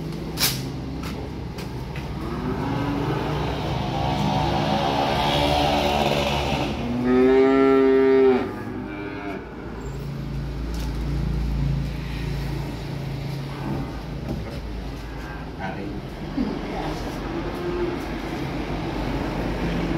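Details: Calves arriving by truck: a few loud harmonic moos mid-clip, strongest around seven to eight seconds, over steady low engine rumble and vehicle noise.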